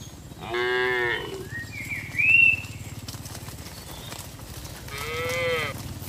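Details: Tame herd cattle being driven from a broad green field to the pen; two separate moos, fairly high and nasal, several seconds apart, with a quick bird chirp between them over steady outdoor background noise.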